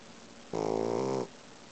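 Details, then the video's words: Sleeping Boxer puppy giving a single loud snore: one rough, buzzy, harmonic-rich breath lasting under a second, with near silence before and after. "Boxer Snoring"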